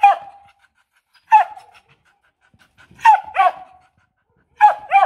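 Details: Demanding, non-aggressive barking from a female H'Mong bobtail dog at a farm; loud, clear sharp barks, single and in quick pairs, spaced by about a second of silence.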